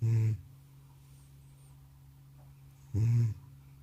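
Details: Old male cat from a multi-cat home, sound asleep after coming back from the vet, snoring loudly indoors: two deep, rasping low snores, one at the start and another about three seconds later, with quiet room hum between.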